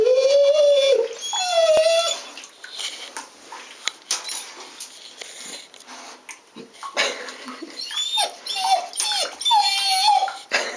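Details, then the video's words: Pet female dog reacting fearfully to an iguana; opens with a sustained wavering whine-howl, then breaks into a run of short whimpers and yelps, ending in rising whines. "Dog meets the Iguana!"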